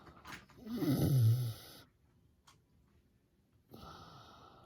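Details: Sleeping miniature pig snoring like an old man: one loud, low, rasping snore lasting about a second, followed by near silence and then a softer, breathy exhale at the end.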